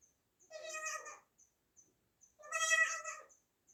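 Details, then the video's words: Baby goat, newborn, calling twice with drawn-out, trembling high bleats, each near a second long, separated by a short pause; faint light ticks in between. "new born baby goat sound effects"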